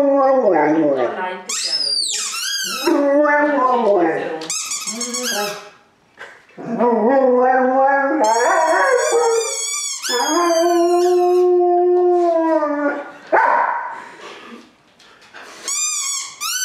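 A Rottweiler-Boxer mix dog howls in long, wavering, rising and falling notes, broken by brief pauses.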